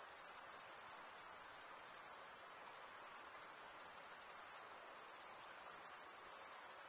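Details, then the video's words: Many crickets chirp together into a continuous bright, thin, high trill. It holds level throughout, with faint swells and dips and nothing else audible. "Most relaxing cricket sound"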